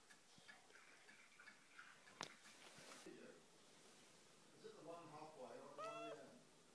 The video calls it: Talking Siamese Cats language Meow